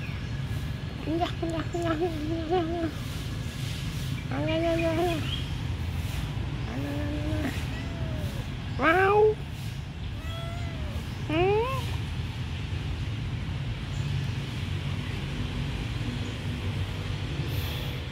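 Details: Abandoned, friendly kitten at a pagoda giving several short arched meows, rising then falling, spaced a few seconds apart, with human voices talking at the start and a steady low rumble beneath.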